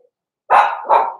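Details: Young blenheim Cavalier King Charles Spaniel, from a puppy pen litter born November 14, 2022, ready for Christmas; two quick, loud, rough puppy barks in close succession, the second running into the first.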